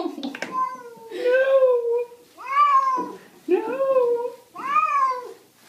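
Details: Domestic cat meowing indoors, four drawn-out meows, each about a second long, rising then falling in pitch, coming roughly every second and a half, with a person's voice faintly mixed in at the start.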